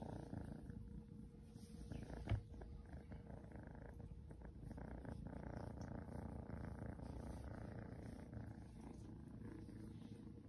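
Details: Seal point Ragdoll kitten named Shadow purring while being patted; a steady low rumbling purr runs through the whole stretch, with one brief sharp tap near the start.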